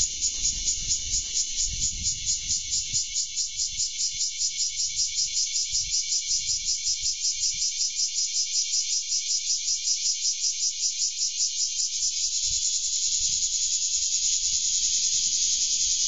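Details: Bear cicada perched on a rose bush in a garden, recorded on 3 August 2012; loud, continuous buzzing drone pulsing rapidly and steadily throughout, with faint low rumbles beneath.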